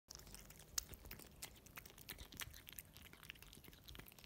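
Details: Russian Blue cat eating wet food, close and quiet: soft wet chewing and licking clicks in irregular bursts, sharp smacks now and then, in a small indoor room.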